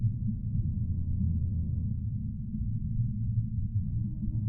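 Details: Humpback whale song: low, sustained harmonic moans layered in stacked tones, steady for about two seconds and then fading. A deep rumbling underwater background runs throughout, with a faint higher tone returning near the end.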